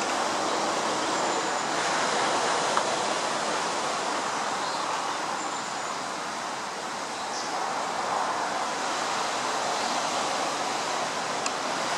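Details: A steady broadband rush like distant traffic or running water fills the whole recording, with no clear animal calls.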